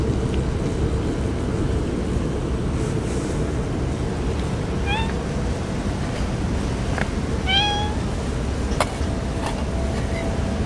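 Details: Stray cats crying on a typhoon day before being fed: two clear, harmonic meows, the second longer and slightly rising, heard over a heavy low roar of wind and weather, with a few sharp clicks.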